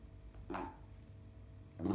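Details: A black dog held and squeezed by a man gives two brief, odd, groaning vocal bursts, one per squeeze, separated by a pause of over a second.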